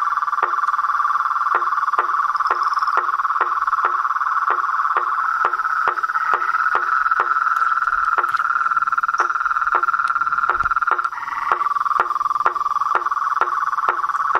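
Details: Chorus of frogs, toads and treefrogs outdoors: an unbroken, even, pulsing trill for fourteen seconds with evenly spaced knocking clicks about twice a second, briefly wavering in pitch near the end.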